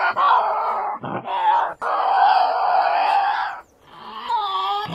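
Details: Tasmanian devil giving loud, rasping growls and screams, long harsh sustained bursts broken by short pauses, ending in a higher wavering whine; mixed for 8D headphone listening.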